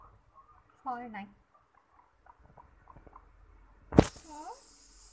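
A guinea pig gives short, falling, harmonic squeaks, with a sharp knock partway through.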